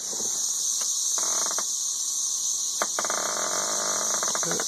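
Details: Thirteen-year periodical cicadas in Nashville, Tennessee, raise an intense high droning chorus, captured by an Android phone; a man's voice cuts in over the steady whine, mentioning one flying overhead.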